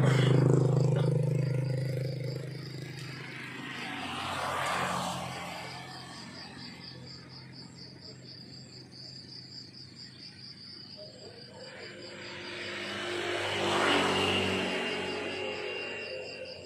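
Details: Crickets chirping in the countryside in the morning: a thin, high, steadily pulsed trill running throughout, partly masked by a low rumbling hum and vehicles passing around the fourth and fourteenth seconds.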